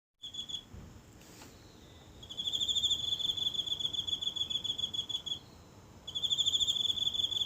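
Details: A single insect calling nightly from grass in a small home garden, recorded close up with a phone on a silent night: a high, pulsed, ringing trill in long bouts, starting about two seconds in, pausing briefly, then resuming.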